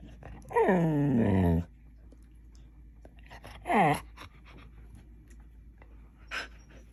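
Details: Samoyed talking to its owner while she sleeps indoors: a long, harmonic, moaning howl sliding downward for about a second, then a shorter falling yowl, and a brief faint third sound, with a quiet room between.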